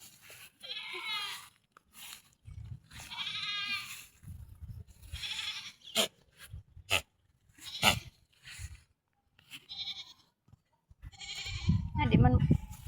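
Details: Goat at feeding time, giving quavering, wavering bleats in short bursts of about a second, repeated several times, with low thumping and handling noise between calls.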